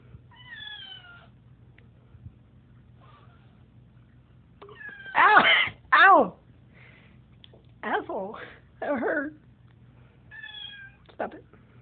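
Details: Indoor cat being poked by its owner gives a few short tonal meows at the start and end, while louder, rough, wavering cries and a person's voice fill the middle.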